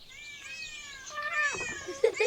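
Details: Cats in a park. A faint, drawn-out harmonic meow sits under soft background noise, followed by a louder, rougher burst of sound toward the end.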